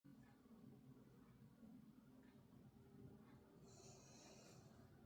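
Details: A pet puppy snoring indoors, its snoring likened to a dad's: a steady low rumbling drone of breathing, with a brief faint high hiss near the end.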